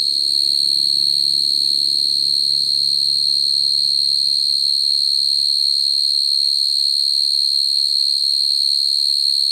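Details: Continuous, shrill, high ringing trill from crickets calling to females at night, sound meant for cricket trapping; the tone never breaks, and a soft low rumble fades away after the first six seconds.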